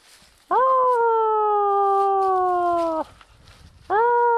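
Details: Small pet dog howling in response to its owner whistling: a long, steady, slightly falling howl of about two and a half seconds, then a second howl beginning after a short pause.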